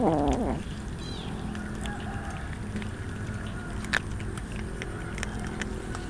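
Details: Hungry street cat among many being fed raw fish outdoors, letting out one short, loud, harmonic meow that falls in pitch at the start, then only a steady low background hum with faint scattered clicks.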